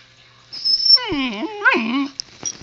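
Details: Zoey, a young husky puppy, talking to her owner indoors: a drawn-out howling vocal with rich harmonics that dips, wavers and rises again over about a second and a half, with a faint high whine before it.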